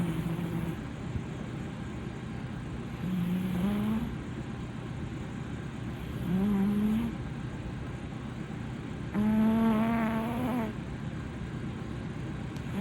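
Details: Haruhi, a blue British Shorthair male, snoring loudly on a sofa: four raspy, buzzing breaths roughly every three seconds, each a low rising droning tone, the last one longest and loudest, over steady background hum.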